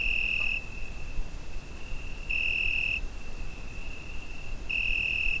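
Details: Summer-night cricket captured with a Zoom H5, holding a continuous high ringing trill that swells into louder bursts of under a second roughly every two and a half seconds, three in all, above soft low-pitched noise.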